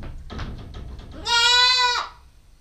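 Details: Nubian goat kid, a nine-week-old female, filmed on a GoPro stakeout: faint rustling and soft thumps lead into one loud, steady, nasal bleat of about three-quarters of a second that ends abruptly.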